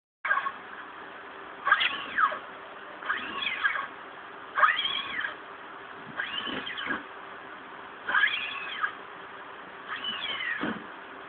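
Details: Playful kitten giving drawn-out, arching meows about every one and a half seconds, six in all, over a steady low hum.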